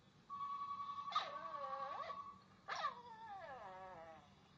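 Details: A puppy named Pooka whines in two bursts, each a high wavering cry that bends down and up, with a steady thin tone running under the first burst.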